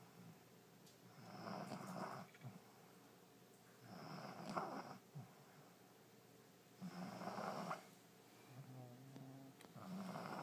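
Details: Allie the French Bulldog, fast asleep in her new bed on the first day of 2012, snoring up a storm: four harsh, rumbling snores spaced about every two and a half seconds, with soft snuffling between them in a quiet room.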